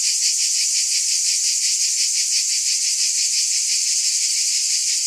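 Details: Shrill buzzing from cicadas, a constant high sizzle with a rapid rhythmic throb near three beats per second.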